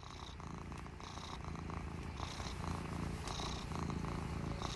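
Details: Affectionate domestic cat feeling lovey, purring steadily: a low, continuous rumbling purr with rhythmic pulses, louder breathy phases recurring roughly every second, close to the microphone.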